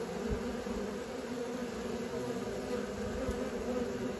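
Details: A swarm of honey bees learning to fly: an unbroken, loud, even droning buzz with a low fundamental and a clear higher overtone, no pauses.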